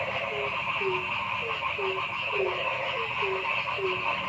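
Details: Frogs in a forest chorus: brief, low, downward-sliding notes come about twice a second against a thick, continuous background of pulsing trills.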